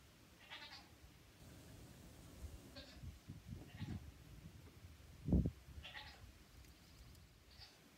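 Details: Newborn triplet goats, two days old and in pajamas, practising hops near their watchful mother; several thin, faint bleats are scattered across the recording, with dull thuds and one loud low bump partway through.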